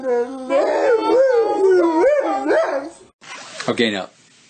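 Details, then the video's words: Dog 'talking' in a continuous wobbling moan that swoops up and down for about three seconds, followed by silence and a short harsh burst. "Talkative dogs"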